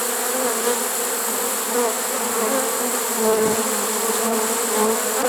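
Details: Late-season honey bee swarm taken in a swarm trap, September 1, 2019, humming continuously: a thick, even drone with faint wavering tones near its lower pitch and steady hiss above, with no pauses.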